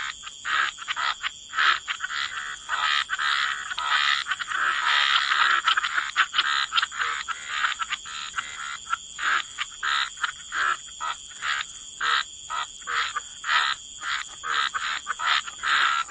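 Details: Frogs in a wetland chorus give rhythmic rasping croaks, swelling into a dense overlapping mass midway, then settling into regular evenly spaced pulses, with a steady high hum throughout.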